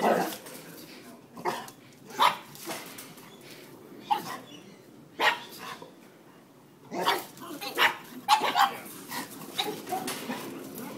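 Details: Pugs meeting another dog give short, sharp barks and yips in irregular bursts, some doubled, with quiet gaps between them and faint background voices.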